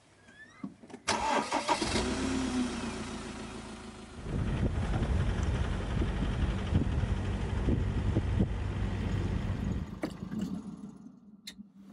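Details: A car engine cranks, catches and settles into a low, steady idle. No animal calls can be picked out over the rumble.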